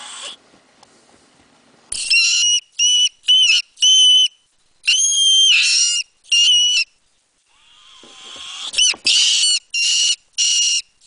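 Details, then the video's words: Mink calling with a run of piercing, high-pitched squeals in short bursts, several per second, some longer and wavering, with breathy rustling noise between the louder cries. "cri de vison"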